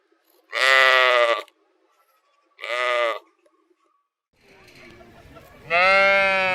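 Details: Sheep from a compilation of sheep sounds: two loud, harsh bleats a second apart, a stretch of faint rustling, then a longer, rising baa.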